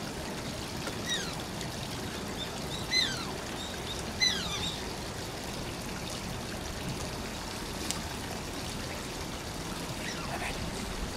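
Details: Asian small-clawed otter Shishimaru at Oji Zoo gives a few thin, high, falling squeaks early on, then a faint one near the end, against continuous trickling, splashing water.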